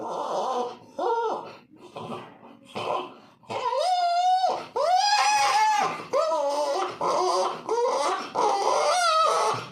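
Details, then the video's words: Puppy whining in a long series: soft, rough grunting whimpers at first, then louder, clear, harmonic cries that rise and level off, coming roughly every second. "कुत्ते के बच्चे की आवाज (पिल्ला)"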